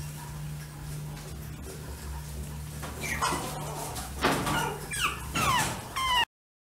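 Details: Chihuahua indoors giving a few short, high squeaky yelps that slide sharply downward in pitch, clustered near the end after rustling and handling noises over a low steady hum.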